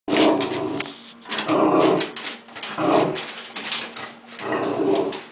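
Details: A cocker spaniel growls at a bug in rough, throaty bursts, each under a second, roughly every second or so.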